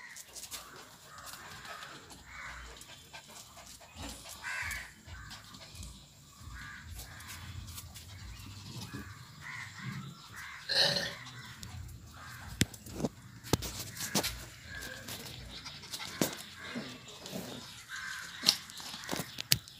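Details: Playing Lhasa Apso puppies yap in quick, high-pitched bursts, with several yelps bunched together and then brief pauses, among frequent sharp taps and clatters.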